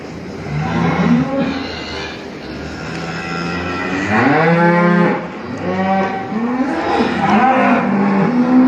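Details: Cow moos in long, low, drawn-out calls that swell and fade.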